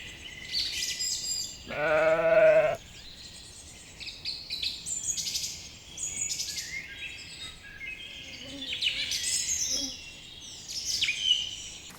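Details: Lambs grazing in a cool green forest; a single quavering bleat lasting under a second near the two-second mark, followed by a chorus of chirping birds and a faint distant bleat later.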